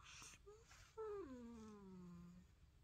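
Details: Bubbles, a sleepy Russian Blue cat indoors, recorded on a Samsung Galaxy S22 Ultra, gives a short chirp then a drawn-out whining meow that slides downward and trails off low, after a brief sound at the start.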